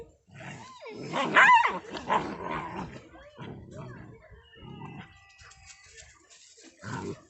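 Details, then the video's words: German Shepherd puppies in Assam playing together, giving short rough barks and squealing yelps in a loud burst early on, then softer intermittent whines and growls, with faint music underneath. "My German Shepherd (GSD) Puppies Playing"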